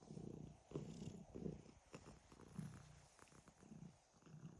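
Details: Pet cat snoring while purring: a low rumbling, breathy sound in uneven pulses about once a second, soft and close.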